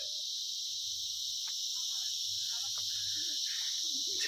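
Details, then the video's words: Crickets in a dense, dark pine forest at Icche Gaon near Ramdhura, Kalimpong, North Bengal. A continuous shrill, high drone runs throughout, with a person talking over it. "ঝিঝি পোকার আওয়াজ আসছে দেখেছো?"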